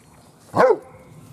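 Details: A single short, sharp yelp from one of Gloria's Weimaraner puppies during a lively feeding and play session, standing alone against a quiet background.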